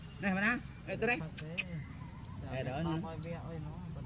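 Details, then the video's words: Baby monkey Sovana crying and shaking her body because she does not want to be bathed; wavering, quavering cries in short bursts, with a person talking nearby. "Monkey Sovana Crying Shaking Body Cuz Doesn't Want Papa Lin to Take A Bath For Her"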